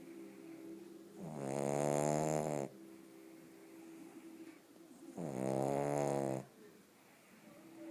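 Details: Bóris the pug snores in his sleep, two loud, drawn-out buzzing snores of about a second and a half each, spaced roughly four seconds apart, with faint breaths in the gaps.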